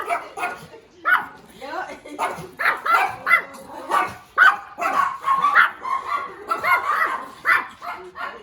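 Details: Cute little puppy barking in short, high yappy bursts, repeated at an uneven pace of roughly one a second, with human voices talking alongside the barks.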